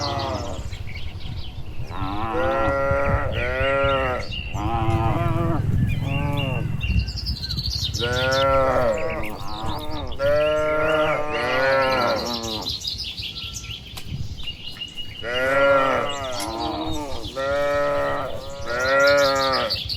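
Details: Dozens of tame cattle on a tree-lined village road, returning to the shed on a warm evening; a dense run of repeated lowing moos, several animals calling in turn, plus low rumbling and light bird calls.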